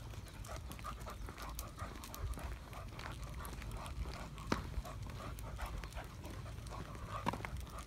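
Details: Sheyenne, a young Irish Setter on her first walk to the park on 23 June 2022, amazed by new sights and sounds; rapid rhythmic panting breaths over low rumbling background noise, with a few sharp clicks.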